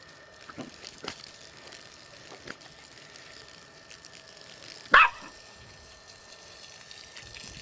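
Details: A Jack Russell Terrier in the garden, during a fight with the garden hose, gives one sharp, loud bark against a quiet outdoor background.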